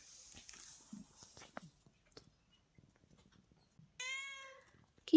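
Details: Pet cat in the hills that wakes its owner every morning; soft murmuring and rustling give way to a single clear, half-second meow, steady then slightly falling, near the end.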